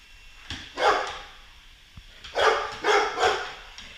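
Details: Golden Retriever confronting a Roomba robot vacuum indoors; four rough, noisy barks in two pairs, with a quiet gap between them.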